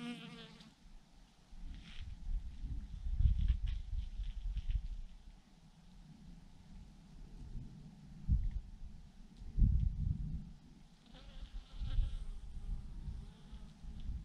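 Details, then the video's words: Thousands of bees hanging in a massive clump on a branch give a low, steady hum, broken by deep rumbling thumps that swell and fade. "thousands of BEES hanging on a branch in a massive clump"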